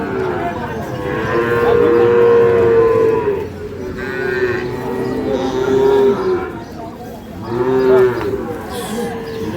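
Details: Sahiwal bull calves for sale at the Ambari livestock market, Parbatipur, Dinajpur, Bangladesh, 11 May: a long, clear, tonal moo lasting about three seconds, then shorter moos around four, six and eight seconds, amid crowd murmur.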